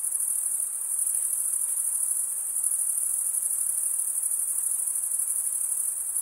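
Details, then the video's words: Male crickets stridulating with their wings fill the air with a constant, piercing high trill. It is finely pulsed and steady from start to end, with a low wash of hiss and nothing else audible. "cricket sound"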